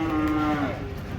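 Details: Giant cattle, one of three raging as they come off a truck at a market: a single steady, level moo held about half a second before fading, with low crowd murmur underneath.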